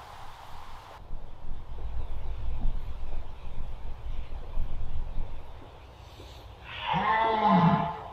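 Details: Red deer in the Masovian forests: one loud, hoarse, low bellow with a stacked, wavering tone arrives near the end after several seconds of quiet rustling and rumbling background.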